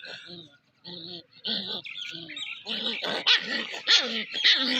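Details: Puppy at play giving short harmonic whining cries in separate bursts, then faster, louder and denser yelps and squeals toward the end, with rising and falling tones.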